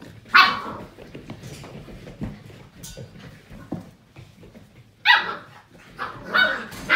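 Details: Playing Portuguese Water Dog puppies aged seven weeks give three sharp, high-pitched barks, one near the start and two close together near the end, separated by quieter scuffling and padding sounds.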